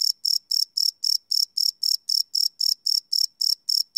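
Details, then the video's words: Crickets chirping at night, recorded live on a Sony PCM D100 field recorder: high, even pulses repeated about four times a second, steady and unbroken, with no other sounds. "Cricket Chirp Sound - Cricket Sounds at Night"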